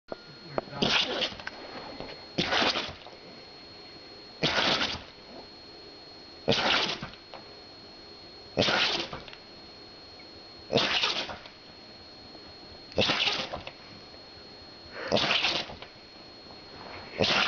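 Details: A pet dog that loves to sneeze, heard giving a series of eight sharp, breathy sneezes, one roughly every two seconds, each a short noisy burst with faint quiet gaps between.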